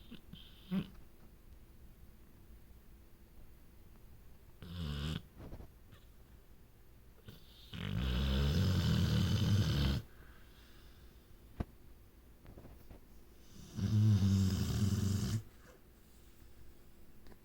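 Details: Pet female dog asleep and dreaming, snoring in two long, low rumbling bursts of about two seconds each, separated by quiet breathing and a few faint soft sounds.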